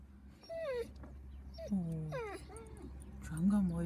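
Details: One of two Rhodesian Ridgebacks on a motorhome trip, gazing out of the window to check the surroundings; several high, thin whines that slide downward, each under a second, mixed with a woman talking softly in German.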